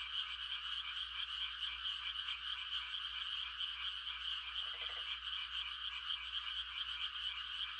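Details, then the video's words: On a quiet country night in rice-planting season, many frogs give mating calls in a steady, buzzing chorus. One brief, deeper pulsed croak stands out near the middle. "The sound of frogs on a quiet country night"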